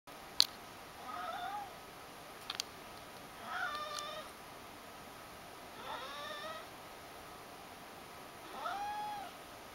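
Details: A Ragdoll cat follows its owners around begging, giving short, high, soft, slightly arching meows every two or three seconds. A couple of sharp clicks sound early on in a quiet room.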